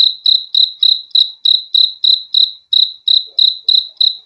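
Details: High, shrill cricket chirps repeat about three times a second with slight unevenness and one short gap. The surroundings are quiet.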